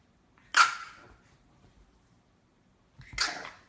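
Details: Louie, a French Bulldog puppy, lets out two short, sharp yips about two and a half seconds apart, the first louder with a brief trailing tail, in an otherwise quiet indoor setting.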